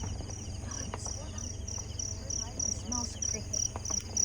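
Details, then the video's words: Crickets along a winding mountain road down from Grace Hill in the Philippines, heard from a moving car: a steady high pulsed chirping throughout, over low engine rumble with people talking. "Yeah, you can hear the crickets."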